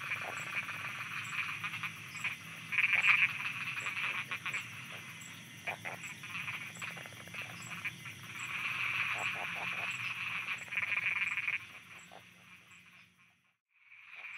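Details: Night chorus of frogs in Thailand, many callers croaking at once in fast, irregular pulses, with louder bursts near three seconds and again around nine to eleven seconds. The chorus thins and falls almost silent near the end before briefly returning.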